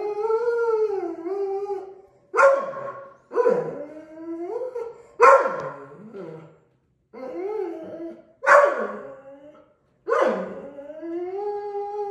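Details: Deutsch Drahthaar puppy howling indoors in training sessions: a sustained moaning howl, then a string of clipped yips and barks that slide down in pitch, each burst roughly one to two seconds apart.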